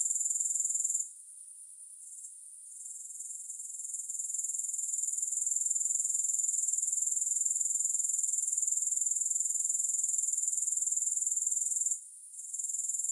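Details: Grasshopper's high, sizzling trill, pulsed and regular, with one longer dip at one to three seconds and a brief break near twelve seconds. Otherwise the buzz runs steadily, with no music.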